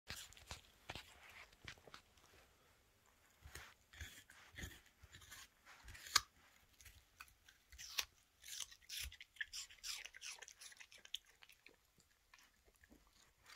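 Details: Female Toy Terrier dog happily eating an apple indoors in a small room, crunchy wet chewing and biting bursts coming in quick irregular clusters over quiet pauses, with no other clear sounds.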